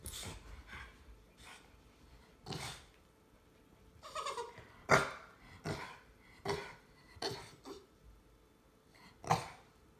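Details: Jack Russell Terrier mutt and English Bulldog in a play-fight; separate short growls and gruff bark-like bursts every second or so, with a few louder snarling peaks between quiet scuffling pauses.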